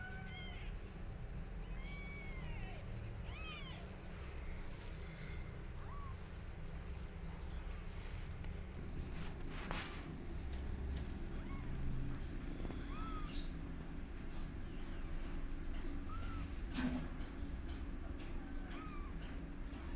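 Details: Young kittens with their mother cat, who is teaching them to walk, meow loudly: a scatter of short, high, arched mews repeated through the stretch over a steady low rumble of background noise.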